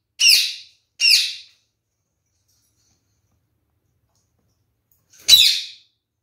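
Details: Kakariki parakeets kept as a pair: two quick harsh chattering squawks a second apart, a four-second pause, then a third identical rasping squawk, in a quiet room.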